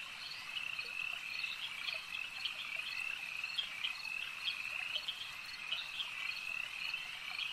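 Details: Many frogs calling together at a lake: an unbroken, shrill, buzzing chorus with quick chirps popping out above it every second or so.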